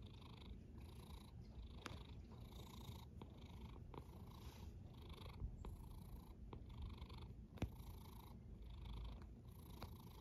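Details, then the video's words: Domestic cat snoring: a steady low rumble with soft breathy hisses swelling and fading in a rhythm of roughly one breath per second, plus a few faint clicks, in a quiet indoor setting. "A snoring cat"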